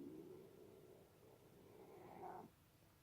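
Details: A large, very vocal male domestic long-haired tabby cat, which its owners suspect may have some forest cat in him, gives a low, drawn-out vocalization that rises in pitch into a brief meow near the end.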